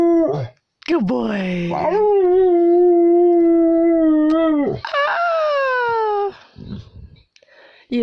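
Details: A young dog howls indoors while being taught to howl: a long, steady, even-pitched howl held for about three seconds, then a second falling howl, with a person's voice nearby.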